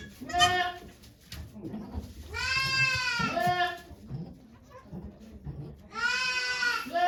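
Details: Goat bleats during the doe Okayu's birth of two kids at Yoshigake farm, Japan, 3 May 2023. Three long, quavering bleats are separated by quieter gaps filled with soft human talk and rustling.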